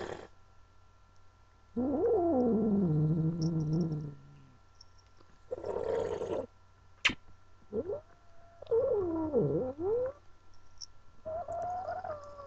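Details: Angel, a female house cat objecting to being held, gives a series of wavering yowls and moans, some sliding down and back up in pitch, separated by pauses, with a sharp click and handling rustle between calls.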